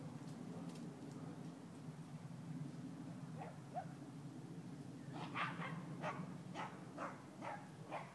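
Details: Dobi, a four-month-old dog playing alongside another dog: a couple of soft yips, then a run of about six short barks roughly half a second apart, over a steady low hum.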